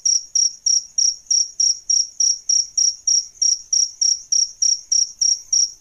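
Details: Male and female adult crickets used for tutoring songbirds chirp steadily. Each chirp is a shrill, buzzy burst, and roughly nineteen come at an even, brisk pace with near silence between them.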